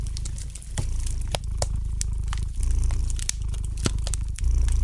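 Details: Cat purring by a fire in the fireplace, a low continuous throbbing hum that dips briefly and returns, with frequent sharp crackles and pops of burning wood.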